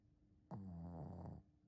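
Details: Snore from Ponta, a Shih Tzu: one loud, buzzy, low rumbling breath starting abruptly and holding steady for nearly a second before stopping, in an otherwise quiet indoor setting.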